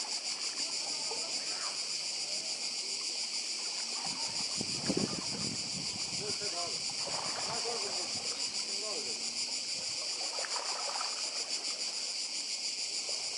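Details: A continuous shrill cicada chorus on Croatia's Badija Island, recorded by the sea in 2024. The high hissing drone holds level while a burst of splashing or nearby voices rises around the middle, with gentle wash from the water beneath.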